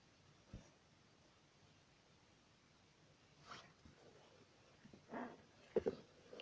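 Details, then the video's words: A pet dog vocalizing indoors in a small room: brief scattered yips and a short whine-like call near the end, separated by quiet gaps, with faint room noise between sounds. "Dog talking again"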